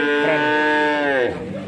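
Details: Male calves at a cattle market in Grabag, Magelang, Indonesia, where nineteen were bought, some Limousin. A steady, tonal moo holds for about a second, then drops away, with men talking nearby.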